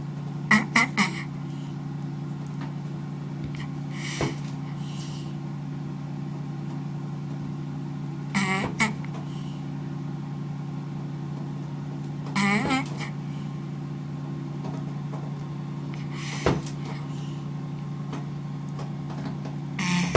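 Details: George, a leopard tortoise, gives hoarse, honking grunts about every four seconds while mating.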